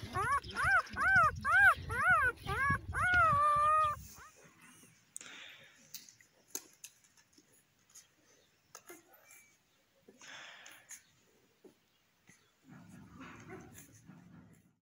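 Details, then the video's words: Newborn Kangal puppies giving a quick run of high, arched whining cries for about four seconds, then faint rustling, soft scattered squeaks and a low murmur of background noise. "Yeni dogan kangal yavru kopekler"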